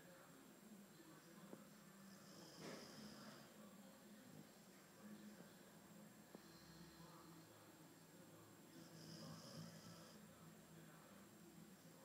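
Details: Theo, an albino Boxer, snoring quietly indoors: soft, raspy breathing with louder hissing snores swelling near the third, sixth and tenth seconds, plus a faint steady high hum in the background.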